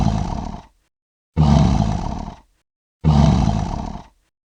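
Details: Lion roaring: three deep, rough, booming roars, each lasting just under a second, separated by short silences and repeated about every one and a half seconds.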